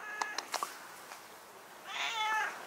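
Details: A 10-year-old stray cat answers a grandmother talking to it with a single clear, tonal meow that swells and then fades near the end, after several sharp clicks and taps.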